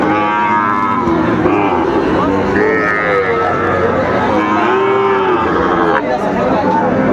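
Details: Sahiwal bull calves at a cattle market in Comilla, Bangladesh, on 19 September 2024: several drawn-out, low wavering moos rise and fall over constant crowd chatter and men haggling over prices.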